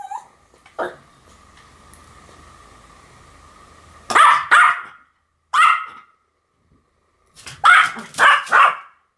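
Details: Duet barking by two Pomeranians named Sam and Marin: after a quiet start with a faint steady hum, sharp high yaps come in twos and threes with short pauses.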